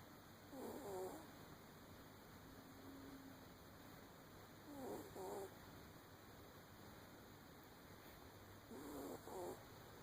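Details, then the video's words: Sleeping puppy snoring: three soft, breathy rasping bursts, each about half a second long, spaced roughly four seconds apart, with a faint steady hum in the background. "the snoring puppy"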